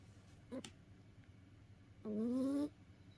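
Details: Cat worn out from playing, snoring in its sleep: a brief soft click, then a single rising whistled snore lasting about half a second against quiet background hum.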